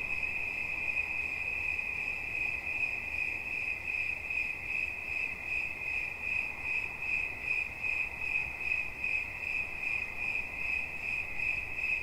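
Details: Cricket chirping steadily as relaxation sounds: a bright, high, narrow tone pulsing in quick, even chirps of about two or three per second, with a faint overtone above and a soft, hissy background.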